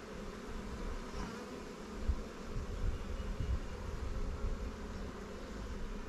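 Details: Honey bees at a newly captured swarm hive in an apiary of Langstroth and Warre hives: a dense, steady low hum with a faint drone band, broken only by a few soft bumps.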